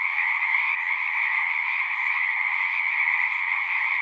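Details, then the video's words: Brief stretch of a frog chorus from a horse-pasture pond, Zoom-recorded: steady, dense trilling from numerous frogs, evenly loud and uninterrupted. "Frogs singing"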